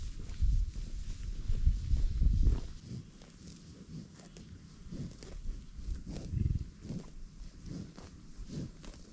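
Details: American bison on a buffalo ranch, giving deep, low rumbling grunts in uneven bursts, loudest in the first three seconds, then softer grunting with scattered thuds and outdoor background noise.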